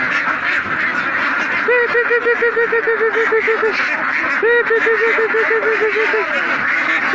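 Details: Mallards kept as a flock: two runs of about nine evenly spaced nasal quacks, each run lasting around two seconds, rise above a constant dense chatter of many other ducks.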